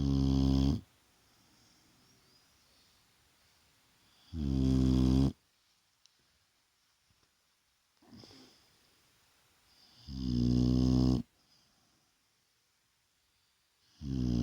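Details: Daytime nap of a Shar Pei called Vaya: loud, low, buzzing snores lasting about a second each, coming every five to six seconds, separated by near silence and soft breaths.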